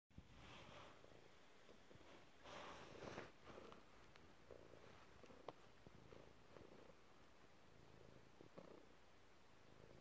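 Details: Relaxed pet cat indoors in a cluttered room, purring quietly with a steady low rumble in rhythmic pulses, plus faint rustles and a few soft clicks.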